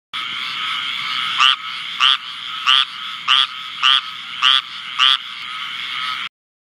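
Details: A squirrel treefrog (Hyla squirella) calls in North Carolina in July 2014, giving short, raspy, nasal calls about every two-thirds of a second over a steady hum.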